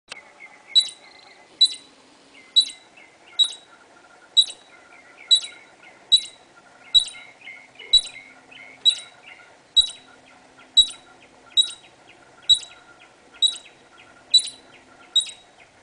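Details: A squirrel in a backyard, recorded through a sliding door screen, gives sharp, high chipping calls, repeated roughly once a second in a steady series.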